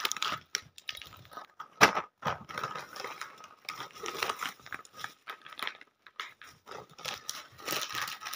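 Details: Intermittent crunching, crinkling and tearing noises in a small room, with no calls or voices from an animal.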